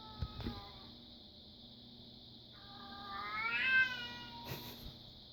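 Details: A female Bengal cat, which her owner suspects is in heat and ready for a mate, lets out a drawn-out, rising, wavering meow over a steady high hiss.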